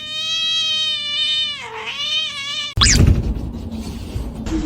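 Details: Domestic cat giving one long, drawn-out meow, a steady nasal wail that holds its pitch, then dips lower and wavers before it breaks off abruptly, followed by a burst of noisy clatter.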